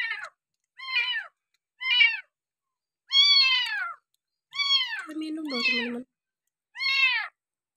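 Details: Bottle-fed abandoned village kitten on its sixth day of care meows repeatedly, short falling cries then longer drawn-out ones, with a lower voice briefly overlapping near the end.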